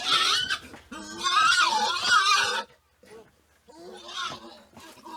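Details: Wild boar, Sus scrofa, a group heard in the wild: loud, harsh, noisy squealing calls with wavering pitch for over two seconds, then a short pause and softer, rougher squeals and grunting sounds.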